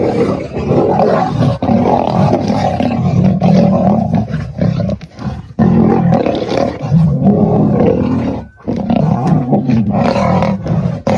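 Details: Two dark-maned male lions fighting for dominance at Kareiga, South Africa, on 6 October 2024: loud, continuous, deep snarling roars and growls with rough bursts, briefly breaking off near the eighth second before resuming.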